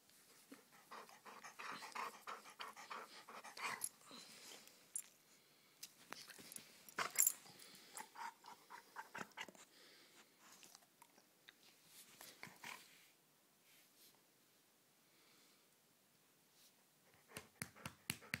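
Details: Pet dog rough-housing in play indoors in a small room: bursts of rough, breathy growls and panting come in clusters, with sharp clicks and rustling between them, then a quieter stretch before a final flurry of scuffling.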